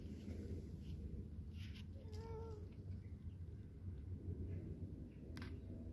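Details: Male Ragdoll cat protesting loudly with a single short, arched meow rising and falling over about half a second, against steady low rumbling background noise and faint clicks.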